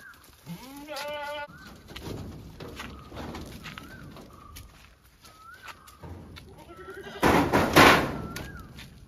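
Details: Domestic goats belonging to the household give one loud, quavering, nasal bleat near the start. Short whistled notes repeat through the middle, and heavy thumping noises close the sequence.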